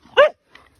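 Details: Pet Siberian Husky outdoors on a rainy day, upset that no one wants to play: one short, loud, harmonic yelp that bends slightly upward, followed by a faint softer vocal trace.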